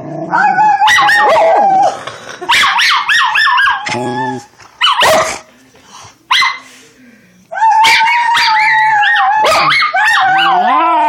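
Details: A female Schnauzer puppy "sings" along to sounds, howling and yipping in wavering, rising and falling cries, with short breaks between bursts.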